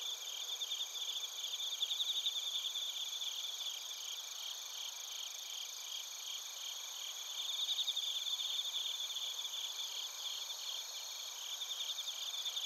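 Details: Crickets, including bell crickets, singing together in Narita, Chiba Prefecture, Japan, captured on a TASCAM Portacapture X8. A continuous high-pitched ringing chorus of fast pulsed chirps swells and fades gently, with no other clear sounds.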